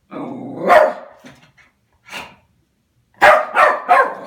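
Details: Oliver, a West Highland white terrier unhappy about a new mail slot, lets out a low growl rising into one bark, then a lone softer bark, then a fast burst of three sharp barks.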